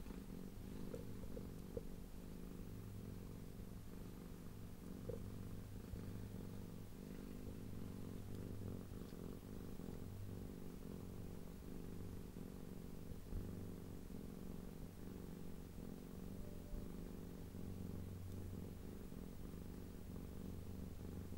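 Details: Female blue and cream tortoiseshell cat purring loudly in appreciation while being stroked, rolling over to show her tummy; a steady, low, rumbling purr with even pulsing runs unbroken throughout.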